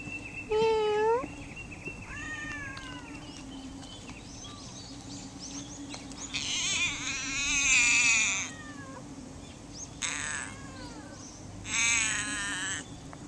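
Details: Wild cat in Funakoshi, Japan, meowing in reply as a person talks to it: a short rising meow, then drawn-out wavering meows and shorter cries in bursts, over a steady low hum.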